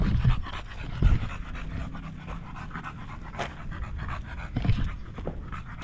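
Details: Panting from Buding, a Golden Retriever looking after her master, soft irregular breaths with a few sharper huffs near one second and close to the end.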